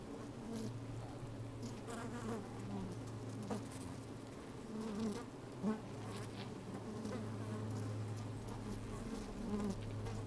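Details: Inside an opened beehive on a sunny, slightly windy day, honey bees move about with a deep continuous hum, occasional short buzzy bursts standing out over the drone, plus soft rustling and scratching.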